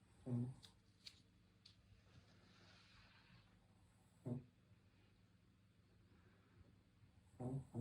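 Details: Short, low snorting snores from a sleeping Shih Tzu recur about every four seconds, each brief and gruff, separated by quiet breathing against a faint hum.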